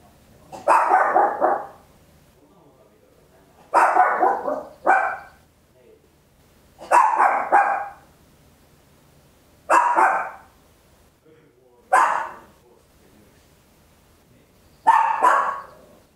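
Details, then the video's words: Papillon, a tiny dog, barking very loud at home: six sharp bark bursts, some doubled, spaced about two to three seconds apart over a quiet background. "Tiny Dog Barking Very Loud, Papillon"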